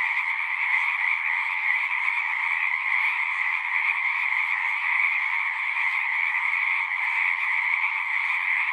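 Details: At a pond in a horse pasture, a chorus of frogs recorded on a Zoom 6 keeps up a constant, dense trilling in two bands, one mid-pitched and one higher, steady and unbroken with no other sounds.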